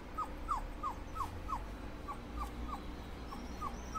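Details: Dobermann puppies cooling off, giving a quick run of high, thin whimpers that slide downward, about eleven in four seconds at a fairly steady pace, over a low background rumble.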